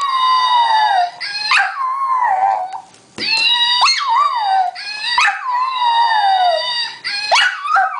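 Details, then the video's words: Munchie the dog gives a run of mournful howls, each a long falling tone with wobbling, yodel-like turns and sharp upward yips between, nearly continuous across the stretch. "Munchie Howling 2"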